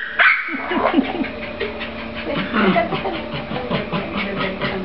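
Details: Jack Russell Terrier playing with a frisbee, giving rapid runs of short, high, bent yips and whiny barks, several per second for the whole stretch, over a steady low hum.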